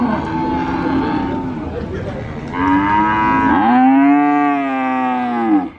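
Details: Cattle at the Sokaraja cattle market in Purwokerto, Banyumas: market chatter and crowd noise first, then two rich harmonic moos, the second long, loud and arching before a sudden stop.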